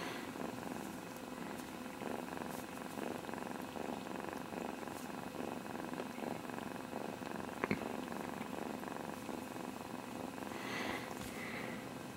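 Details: Kittens Casey and Sassy play-fighting, grabbing heads and kicking; a low steady rumbling purr runs throughout, with faint rustling and a brief sharp tap near the middle.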